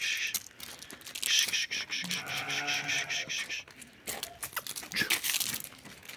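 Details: A ram being offered for sale gives a single wavering, nasal bleat of about a second and a half midway, set against crackling, rustling handling noise, with a person's voice before and after.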